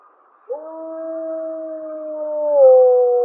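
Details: Mollie's pack wolf 1048M in April 2025 giving a howl with a louder second harmonic: a clean level tone held nearly two seconds, then dropping slightly in pitch and swelling louder at the end.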